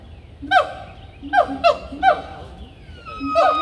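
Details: Loud monkeys: four harsh, harmonic cries in a row, each dropping sharply in pitch, spaced roughly half a second to a second apart, with a thin whistled tone lingering between them.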